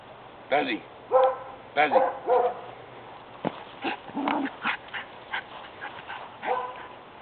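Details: Excited pet dog Baz barks in play as dad arrives: a run of short, rough barks roughly every half second, then scattered yips mixed with human chatter.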